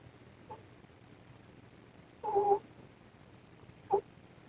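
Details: Sleeping mother cat Ros snoring beneath the camera: one clear whistled, two-toned snore in the middle, flanked by two faint brief breaths, with steady hiss from high gain.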